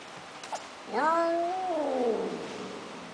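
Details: A male Persian cat gives one long, drawn-out meow that rises slightly and then slides down.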